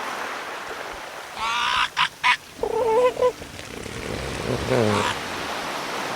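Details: Orca sounds recorded underwater: two sharp broadband bursts, then a wavering harmonic honking call lasting under a second, followed by lower rough pulsed calls over steady background noise.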